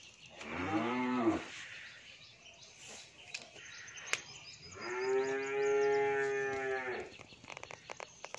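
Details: Two moos from an 11-month-old Australian bull calf kept on a dairy farm in Pabna, Bangladesh: a short, rising-falling call, then a longer steady lowing after a pause, with faint farmyard background noise.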